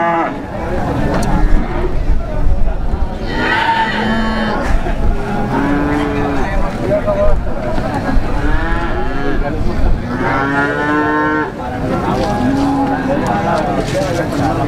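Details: Young cattle for sale at the Plaosan livestock market, Magetan, Java: short nasal moos and longer bawling calls from several animals, one loud strained bellow near the middle, over constant human chatter and traffic noise.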